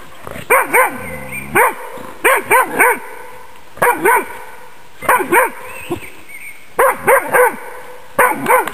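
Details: Magyar Vizsla bitch working on wild boars in a demonstration; bursts of two to three rapid barks repeated roughly every second, with short gaps, faint squeals between bursts and a constant high hum behind.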